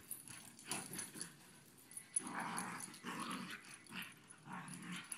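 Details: Two pet dogs playing together to make sure they still get along before a sleep-over; rough, broadband growling bursts come in clusters lasting about a second, with lower rumbling between them and some faint rustling.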